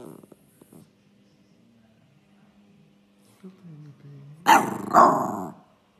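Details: Jack Russell Terrier giving two loud, rough barks about half a second apart, with a growling edge, after a quiet stretch of low humming background.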